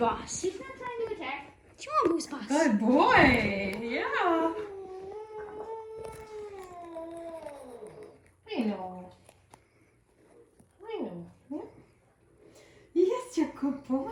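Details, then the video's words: Female pet cat meeting a new dog indoors, in attack mode, giving long, wavering yowls that slide up and down in pitch, plus shorter rising and falling cries, mixed with people talking and coaxing the dog. "Our Cat meets our new dog (funny cat noises)"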